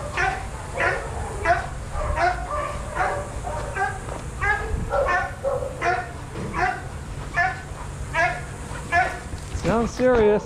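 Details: Adoptable shelter dogs at play in a daycare bark in quick, steady bursts roughly every half second, several voices overlapping, ending in a rising whine-like yelp, with constant background room noise.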